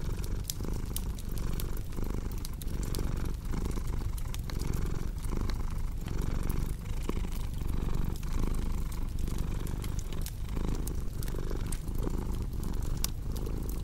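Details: Cozy purring cat over a crackling fire, meant for deep sleep; a low vibrating drone rises and falls with each breath roughly every second, punctuated by dense sharp crackles from the fireplace.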